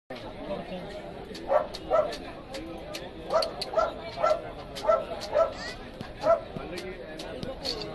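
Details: Neapolitan Mastiff at the Canine Club of Cochin championship dog show, 22 February 2015, Jawaharlal Nehru Stadium, Kaloor, Kerala, India; a run of short, deep barks repeated about every half second, over steady crowd murmur and voices.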